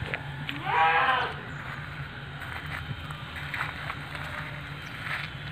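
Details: Young female Etawa goat, seven months old and 70 cm tall: one loud, strained, harmonic bleat early on, then low background noise and faint voices.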